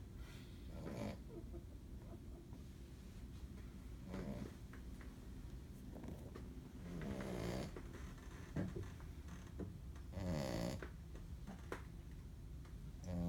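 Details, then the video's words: A very tired female Shih Tzu snores in low, rasping breaths roughly every three seconds, lying in her big brother's bed. "Snoring Shih Tzu"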